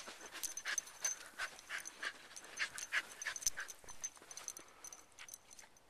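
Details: Wire Fox Terrier, a rescue mascot in Chicago, running and playing in the snow and snapping at it: rapid, irregular breathy panting with snow crunching and scuffling throughout and a thin steady high whine in the background.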